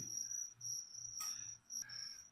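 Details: Feeder crickets kept to feed a pet leopard gecko, chirping in high, thin trills: four long buzzy chirps, each about half a second, separated by short gaps, with a brief rustling click partway through.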